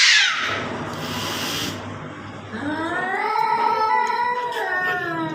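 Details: Cats fighting in front of a house: a sharp hissing burst at the start, then a low, drawn-out, wavering yowl that swells in the second half.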